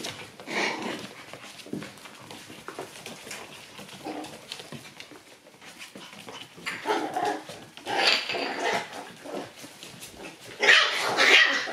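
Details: Several Shiba Inu puppies arrive lively at their daycare and play-bite. Scattered yips and rough growly bursts come in uneven clusters, loudest near the start, middle and end, over an indoor room background.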